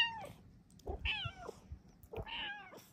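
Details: Female Bengal cat indoors in the morning, asking for a cat cave; meows vary with time of day and sleepiness. A short falling meow opens, then two clear rising-and-falling meows about a second apart, with a woman's soft voice greeting her.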